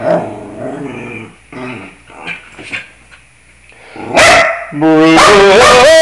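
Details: Bruno the dog sings to the scales: drawn-out harmonic howling tones at the start, a loud bark, then a steady, strongly tonal wavering howl that rises near the end.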